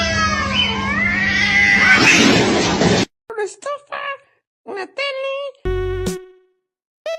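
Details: Domestic cat giving a run of short, clipped meows, about six brief harmonic calls in quick succession, each cut off sharply, following an opening stretch of loud music mixed with speech.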